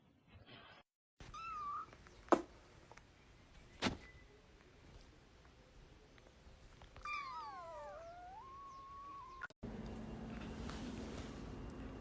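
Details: Domestic cat indoors after being woken and asked if it is ready for school; a brief early chirp, then a long wavering, descending meow of about two seconds amid sharp knocks and background hiss.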